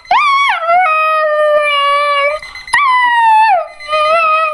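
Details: Young Border Collie answering an alarm clock with sustained howls: a sharp rise into a long steady note, a brief pause, then another high start easing down to a level tone, swelling again near the end.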